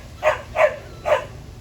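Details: Small squirrel making a peculiar noise: three short, harsh, barking notes spaced about half a second apart, the last after a slightly longer gap, over quiet background hum.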